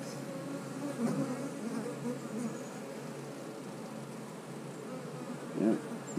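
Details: Honey bees humming steadily at an eight-frame hive during an inspection, with eggs visible in a frame; a dense, even drone with a few louder swells near the end.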